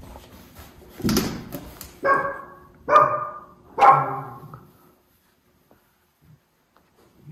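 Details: Miniature Schnauzer Levi, one of two brothers, hunting a fly indoors in Aroostook County, Maine, January 2022. Four short, harmonic barks about a second apart, then quiet with a few faint soft sounds.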